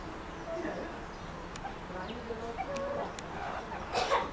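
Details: Meerkats at Rostock Zoo, Germany, giving soft, clucking chirps and short murmured notes in a steady, quiet chatter.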